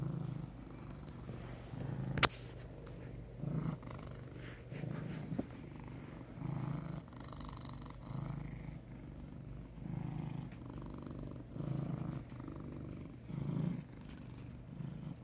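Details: Huey, a heavyset brown tabby domestic cat, purrs continuously at close range, a throaty rumble swelling roughly every second and a half with breathing, one sharp click near the start.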